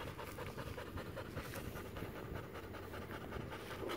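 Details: A docile pet American Pit Bull Terrier from Maceió, Alagoas, Brazil panting quietly: soft breathy huffs at roughly two to three per second, uneven in rhythm, over a low steady background rumble.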